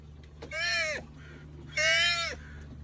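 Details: Joey sea otter calling vocally: two drawn-out, harmonically rich squealing calls, each about half a second, arching slightly in pitch, with a faint low hum behind.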